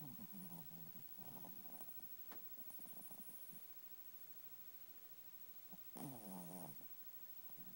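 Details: Ollie, a pet chihuahua, sleeps swaddled in a blanket in his bed and snores: a low, rasping breath near the start, a soft buzzy stretch in the middle, and a louder rough snore toward the end, indoors.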